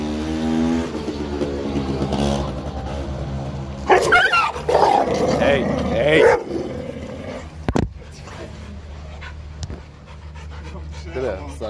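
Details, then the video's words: Husky named Ghost in a scuffle with two hyper Labradors that approached wrongly on a walk; a harsh, noisy burst of snarling and growling mid-clip, with a man calling commands before and after and a steady low traffic hum. "Husky fight two dogs"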